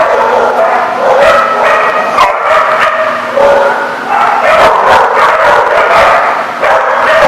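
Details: Several dogs barking together in a noisy, continuous chorus, overlapping harsh barks and yips filling the whole recording with little pause.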